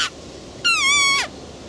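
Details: A single drawn-out roe deer squeal, strong and harmonic-rich, holding steady before dropping sharply at the end, preceded by the tail of an earlier call, over soft hiss.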